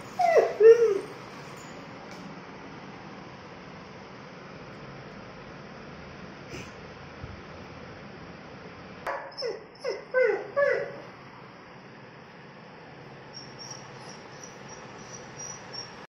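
A German shepherd lets out a quick run of short, tonal, yelping barks, falls silent for several seconds, then barks again in a second cluster. Faint high chirping sounds in the background.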